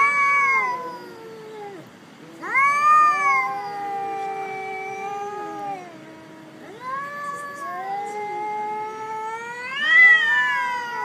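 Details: During a fight on a jetty at a cat island, the black cat Jerry gives repeated long, moaning yowls, each swelling up then sagging in pitch, roughly four drawn-out screams over eleven seconds.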